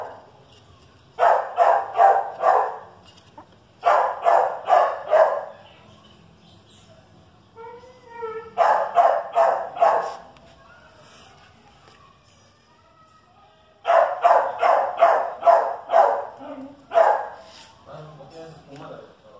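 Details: Chihuahua against dachshund: loud, rapid barks in tight volleys of four to six, separated by short gaps filled with soft whining and yelping tones, then a final long barrage.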